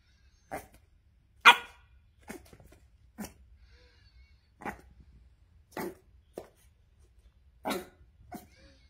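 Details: A cheeky Boston Terrier puppy gives sharp, high barks at its owner, spaced about a second apart, its whole body jumping with each excited woof.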